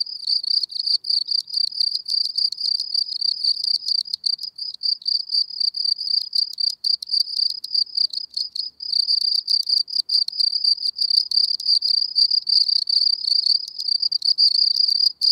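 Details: Gryllus campestris, the common field cricket, at Elsbethen, Austria, in April 2020: sustained shrill chirping, fast pulse trains following one another almost without pause for fifteen seconds, high-pitched and steady, nothing else audible.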